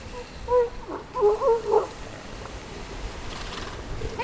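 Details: Elephant seals on the coast at San Simeon, California: a run of four loud, tonal belching pulses packed into under two seconds, followed by quieter background noise.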